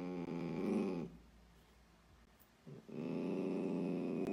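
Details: Sausage dog from a pet compilation producing low, rumbling growls, a steady throaty sound broken by a short silent pause before resuming more loudly.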